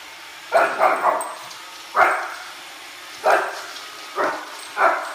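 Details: Oliver, a Shih Tzu puppy, protests a Roomba with a triple bark burst, then single sharp yappy barks spaced about a second apart, steady vacuum hum behind.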